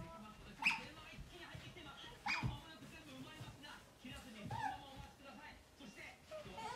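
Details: Pet otter kept indoors, following the owner's mother around the home; three sharp, high, downward-sweeping chirps spaced a second or two apart over quiet room noise and faint household sounds.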